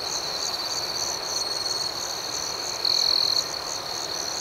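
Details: Crickets at night make a dense, high, pulsing chirp. Near the end one insect stands out with a short, louder, sustained trill lasting about half a second.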